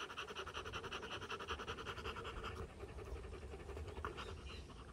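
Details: Rottweiler panting after a fight, one of a Rottweiler family filmed on day 59. Fast, rhythmic huffing breaths come about two or three per second, evenly pulsed throughout and slightly softer toward the end.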